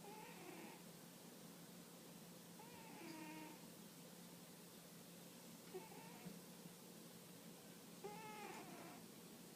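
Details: Sleeping cross-eyed female cat snoring softly indoors: four raspy, wheezy breaths, roughly one every two and a half seconds, each a short buzzy rattle over a steady low room hum, with quiet gaps between.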